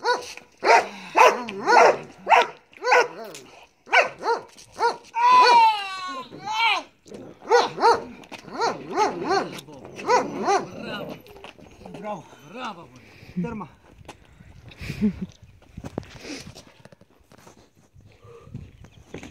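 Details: Quick, loud barks from Marley, a Belgian Malinois at bite work practice, crowd the opening seconds, then thin out and fade into scattered softer sounds and a man's voice.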